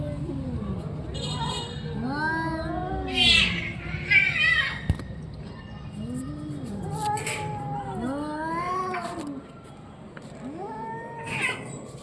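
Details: Orange and white domestic cat uttering repeated arched, rising-then-falling meows amid a low hum, with short noisy bursts in between.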